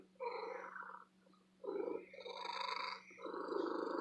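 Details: A female pet cat kept at an antique store gives a loud, happy purr. A pulsing rumble starts, pauses briefly after one second, then returns stronger and continues with a slight lull near the end.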